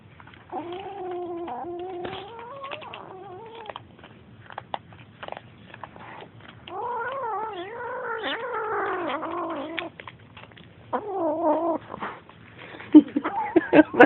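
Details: Feeding kittens growling at each other over a bowl: several long, wobbling, moaning growls come in bursts, the loudest near the middle, with quieter shorter ones later and a few clicks at the close.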